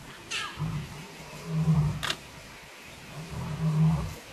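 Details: Lions, two Styx females with eight cubs, filmed on safari on July 9, 2016; low, soft moaning calls near the bottom of the range, several drawn-out grunts spaced about two seconds apart, with faint clicks and background hiss.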